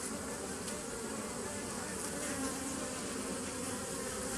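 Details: Continuous bee hum captured on 27 September 2018: a thick, unbroken drone with layered low tones, constant in loudness from start to finish.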